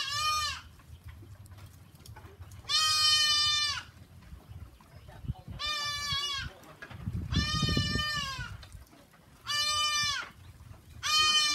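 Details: Goats on a simple goat farm bleat loudly, each bleat a bright, quavering cry lasting about a second, repeated every few seconds. A low rumbling hum runs underneath.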